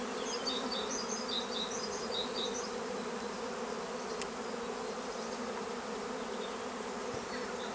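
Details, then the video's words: At Longué-Jumelles, a swarm of honeybees keeps up an even, rumbling buzz. Bursts of rapid, high bird twitters come in the first few seconds, followed by a sharp click midway. "Essaim d'abeilles"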